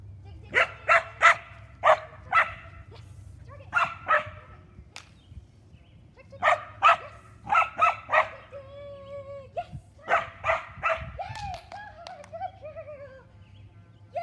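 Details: Puppy giving bursts of short, sharp, high yapping barks in clusters of three to four, separated by pauses, with a few drawn-out whining notes in between; faint low hum in the background.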